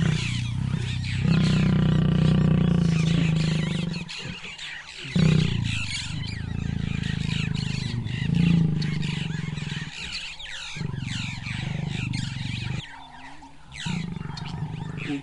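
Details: Lions mating on a wildebeest carcass: the male Sjambok mounts the feeding lioness Manyari after two young males were chased off. Deep, rumbling growls come in long bursts broken by short silences, with faint bird chirps behind.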